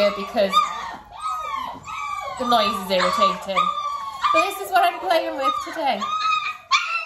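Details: Dalmatian pups close to six weeks of age, with mother Arya, during a clicker training session; loud overlapping whimpers, yips and wavering squeals from several young dogs, some lower moaning tones, almost without a break.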